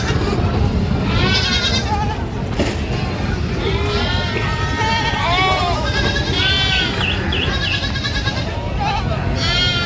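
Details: Screaming goat on a farm: a run of short, wavering, high bleats, several overlapping and repeated every second or two, over a constant noisy background with faint voices.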